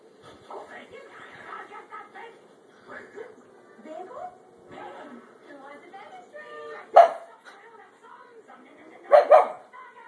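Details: Percy the dog, watching TV and wanting bacon, lets out two loud, sharp barks, a single one followed about two seconds later by a quick double, over steady television talk.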